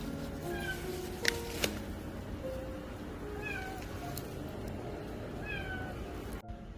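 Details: A tiny stray kitten (Felis catus), from a street-cat family met on a day of heavy rain, gives faint, high, thin meows that rise and fall over a steady hiss. It was heard after the rain stopped and was later found in a ground-floor window gap.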